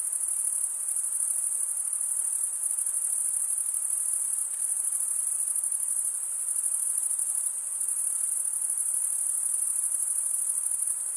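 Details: Continuous high shrill trill of chirping crickets, the sound made by males running one wing along the toothed vein of the other; an unbroken, even buzz with slight flutter and nothing else audible.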